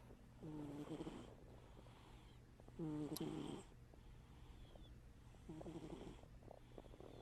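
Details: Domestic cat Scrapper snoring in sleep with one eye open; three rattling, wheezy breaths of uneven strength, the middle one loudest, against a low steady hum.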